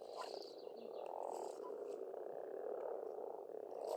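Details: Pond frogs in Estonian spring forming an unbroken croaking drone, loudest in the middle, while a bird sings faint high notes near the start.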